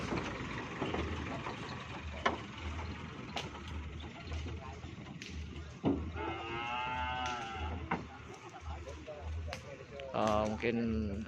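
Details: Cattle gathered for a training session in preparation for an upcoming event. A drawn-out harmonic moo swells in mid-clip and a second, shorter low moo follows near the end, over steady crowd chatter and passing vehicle noise.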